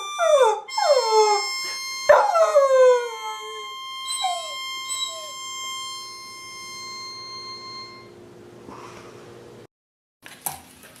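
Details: Labrador Retriever puppies yelping and whining with quick, downward-sliding cries clustered in the first four seconds, then a few faint whimpers fading out, with sustained music tones running underneath.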